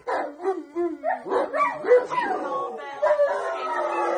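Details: Rottweiler howling along as people sing Happy Birthday: a run of wavering, rising and falling howls with yips, pitch sliding up and down, ending in a long sustained howl with human singing mixed in.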